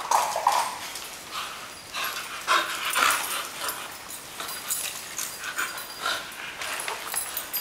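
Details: Female bull terrier greeting her owners with excitement as they come home, carrying a toy; scattered whiny whimpers and yips between shuffling, clattering household noise.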